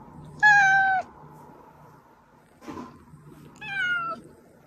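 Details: Pet cat calling, played to coax hiding cats into appearing: a loud falling meow, a soft rustle, then a second quieter meow sliding downward, with steady low hum behind.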